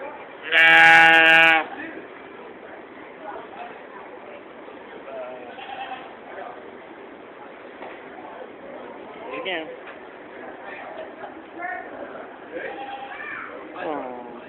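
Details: Goat in the stables at the 2015 Georgetown, Illinois fair: one loud, wavering bleat lasting about a second near the start, then people talking and a few faint, shorter bleats in the background.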